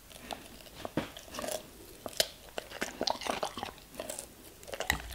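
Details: A German Shepherd crunching through vegetables and fruits, with repeated sharp bites every half second or so, wet mastication between them and a final burst of crunching at the end.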